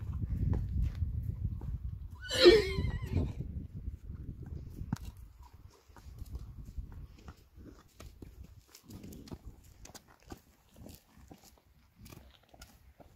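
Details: Friesian horse from a herd, possibly in water: one short, shrill whinny with a rising then falling tone, followed by low rumbling, hoof-like thumps and a few soft clicks.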